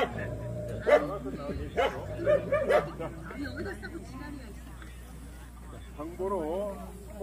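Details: Jindo dogs barking at the 66th Korea Best Jindo Dog contest: several clipped, bright barks in the first three seconds, then mostly human conversation with a brief whine-like rising tone later.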